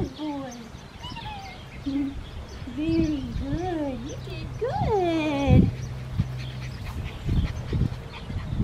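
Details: Black tri Australian Shepherd male pup aged six weeks, Oklahoma farm: repeated wavering, whistly whines that climb and fall, ending in a longer, louder yelping cry, over a low steady hum and faint voices.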